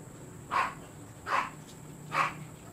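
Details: Siberian Husky at a kennel offering stud service: three short, sharp barks spaced about a second apart, each a brief mid-pitched burst, over a steady faint background hiss.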